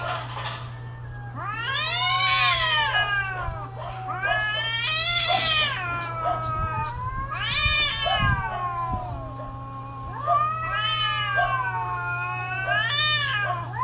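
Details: Yowling cats in mating season: loud, bending wails that climb and drop repeatedly, five long cries almost back to back, accompanied by a steady low hum and some faint knocks.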